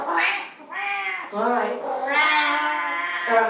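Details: Pet Siamese cats agitated during their owner's shower; a few stretched, wavering yowls, the last one long and sustained, with a woman's voice following.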